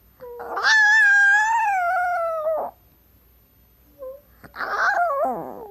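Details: Female pet Chihuahua that likes to talk and howl gives one sustained, level howl lasting about two seconds. After a pause comes a shorter, wavering, falling whine-like howl.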